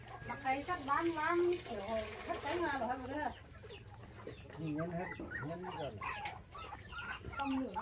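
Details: Young orphaned puppies, five in all, bottle-fed after dog thieves took their mother when they were six days old; wavering, arching whines rise and fall in bursts, mixed with a person talking nearby.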